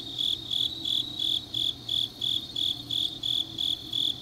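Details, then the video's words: Deep-night autumn chorus of grass insects from Changnyeong, South Korea: shrill, ringing chirps pulsing about three per second, each a short bright burst, over a quiet low hum. "깊은밤 가을 풀벌레 소리"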